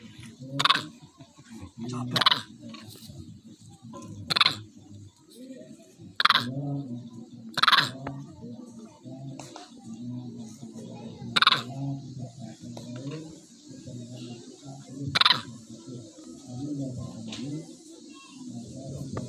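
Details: A wild monkey gives sharp, harsh calls every couple of seconds to summon its companions.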